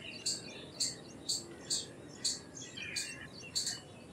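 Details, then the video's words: Indian palm squirrel calling in short, sharp chips, about seven spread over four seconds at a slightly uneven pace, with soft twittering between notes and low background noise. "Squirrel Sounds Effects - Squirrel Calls - Squirrel Sound - Indian Squirrel - Squirrel Voice-Vocals"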